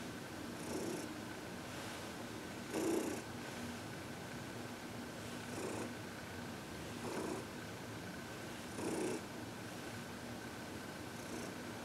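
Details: During a massage and reiki session on February 22, 2021, Heidi, a contented 14-year-old cat from the Humane Society of New York City, purrs softly, with hissy breath pulses every one to two seconds.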